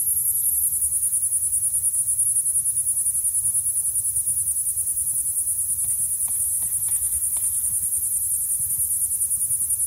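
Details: Noisy cicada in Santa Cruz, California: a continuous, very high, steady buzzing drone without breaks, over faint low background rumble.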